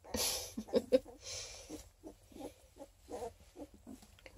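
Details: Chunky Coonhound cross pups, twelve days old, Redtick crossed with Black and Tan, in Ontario, Canada: a run of short, nasal squeaks and whimpers repeated several times a second, louder at the start, over soft handling noise.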